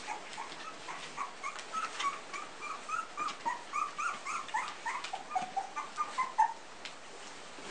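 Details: Whining from a litter of Pumi puppies aged three weeks: soft, high, slightly wobbling squeaks in quick succession over a hissy indoor background.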